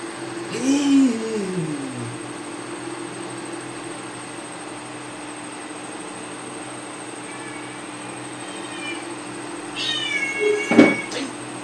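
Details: Cat indoors giving a falling meow near the start, then a sharper higher meow near the end, with a steady electrical hum throughout and quiet surroundings between calls.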